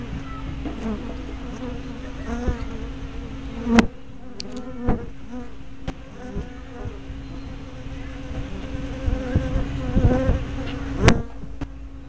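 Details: Many honey bees coming and going at a hive entrance on 24 May 2012, caught by a spy cam with a fisheye lens; overlapping low buzzing with rising and falling whines as bees fly close, and several sharp knocks.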